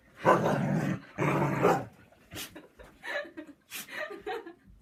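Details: Husky grumbling and sneezing: two drawn-out, throaty grumbles of about half a second each, followed by sharp, abrupt sneeze-like bursts and several shorter, rising-and-falling muttered vocalizations.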